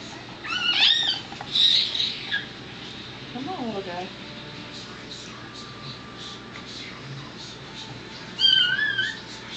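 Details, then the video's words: Freshly born miniature dachshund pup, fifth and final of the litter, born April 19, 2009, swung to clear fluid from its lungs. It gives thin, wavering, high squeaks, a pair early on and another after a quiet stretch, over room noise and voices. "Mini Doxie Giving Birth to a Puppy"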